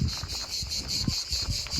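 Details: Cicadas calling loudly on a hot day in Volterra, Tuscany, Italy, a steady high buzzing drone with a fast regular pulse, low rumbles of town activity beneath.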